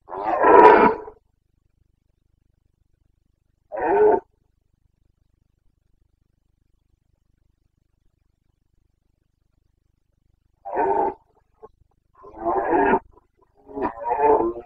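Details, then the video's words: Carpathian stag of the Bucovina forests in the 2022 rut, 29 September: scattered deep, rough roars, a loud opening bellow, a shorter one near four seconds, long silence, then three grunting roars in quick succession. "Boncănit / Carpathian stag Breeding season"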